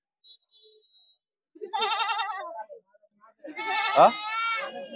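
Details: Goat at a goat and sheep market in Vavi, Sinnar, recorded 28 October 2025, giving two wavering, quavering bleats, the second louder and longer, with traders bargaining nearby.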